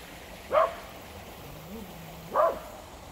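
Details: At a creek, dogs give two separated barks about two seconds apart, fairly distant against a constant hissing background.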